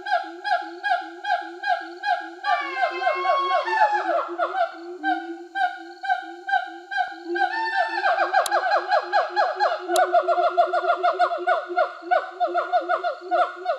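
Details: Released siamangs in Sumatra, free for over a year after rehabilitation, sing a territorial duet, the female backing the male. They give loud, rapidly repeated hooting barks with rising swoops, voices layered in a rhythmic chorus.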